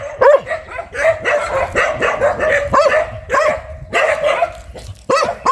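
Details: Fierce dog barking in bursts: sharp barks tumbling together early, then spaced single barks with short pauses, ending in another loud bark.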